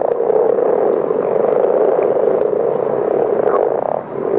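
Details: Massed common frog chorus, many animals snoring at once like a far-off engine or motocross race, recorded for a French educational tape on telling frogs by voice; unbroken low rumbling purr holding level for the whole stretch.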